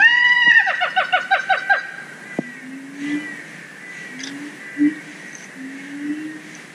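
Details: Siamangs, a threatened gibbon species kept at Zoo Dortmund, in song. A quick run of bright, repeated barking notes gives way to a sharp crack. Long, low, slightly rising hoots follow at intervals of about a second or two.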